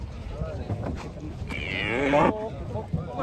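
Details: Cattle becoming agitated while being unloaded from a truck, a sacrificial cow, 2024; a rising, drawn-out moo with stacked harmonics lasts under a second, over truck and background noise and music.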